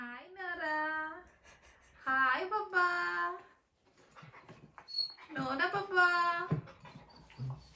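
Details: A 4-month-old female German Shepherd puppy, playing with her bowl, gives drawn-out, tonal whining yowls that swoop upward, in three separate bursts.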